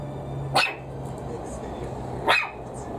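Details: A Maltese puppy gives two sharp, high-pitched barks about two seconds apart, barking out of fear at a plastic bottle being squeezed at it; it does not usually bark this much.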